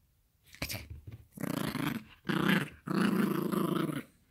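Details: Yorkshire Terrier puppy growling and play fighting over a toy: a soft snort, then three rough growls of rising length, the last nearly a second and a half, rumbling and buzzy.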